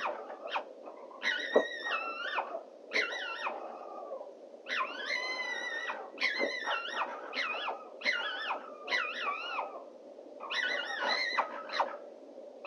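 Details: Two female foxes calling for a male on a noisy night in 2024. Their wavering, harmonic yelps bend up and down and come in bursts of about one second, separated by short pauses, over a steady low hum.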